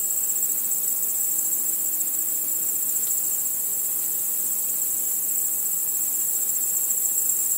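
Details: Nighttime crickets chirping beneath the stars, giving a continuous shrill, fast-pulsing chorus at an even level, with a faint low hum briefly underneath.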